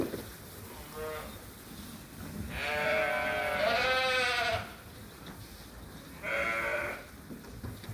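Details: Sheep and lambs on a farm during feeding chores in lambing season; a faint bleat, then a long loud tremulous bleat lasting about two seconds, followed by a shorter call, with a steady background hum.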